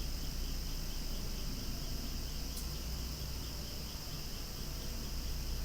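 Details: Cicadas buzzing noisily beside flowers moving in the breeze, an unbroken shrill whine with fast throbbing pulses, one sharp click partway through, and a deep background rumble.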